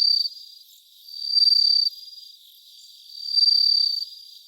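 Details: Bell cricket, field recording made about 3 a.m. on 3 September 2023, giving high, pure, bell-like trills in pulsing bursts roughly every two seconds, fading between them, with no other sounds.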